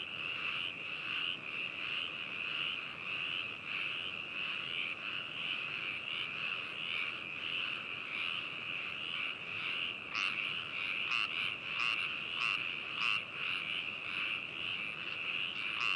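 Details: Frogs calling at Hakushu, Hokuto, Yamanashi, Japan, recorded binaurally on 4 May 2018: a dense continuous chorus of rattling croaks with a steady trill band, several louder individual calls standing out toward the end.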